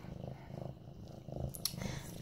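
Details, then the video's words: Mufasa, a male medium-hair orange tabby cat almost 8 months old, purring while being petted on September 28, 2015; soft, low rumbling pulses repeat steadily, with a brief higher rustle near the end. "Purring Mufasa"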